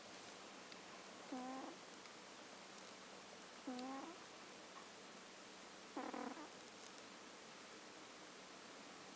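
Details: Sleeping Norwegian Forest Cat, one of two sisters named Mille-feui and Collong, snoring indoors: three quiet, nasal snorts with a faint buzzy tone, spaced about every two and a half seconds, over a steady hiss.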